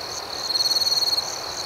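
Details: A single cricket at night gives a short, rapid pulsing trill of under a second, high and bright, against a soft continuous insect chorus.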